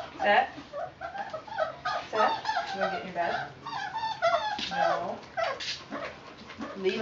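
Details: Four-week, four-day-old puppies with Mama Valentine and her new brother Hoyt on an afternoon of March 18, 2013, giving a busy run of short high whimpers and squeaky yips, overlapping and rising and falling, with barely a pause between them.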